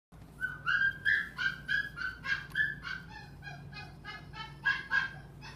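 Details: Dog at a pet shop giving a fast run of high, sharp yelps, about three each second, steady in pitch with bright overtones, over a constant low electrical hum.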